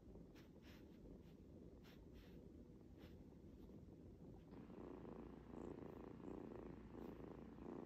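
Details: Young pet cat kept at home. Rapid, even purr, a low rough rumble pulsing about four times a second, growing louder and fuller partway through.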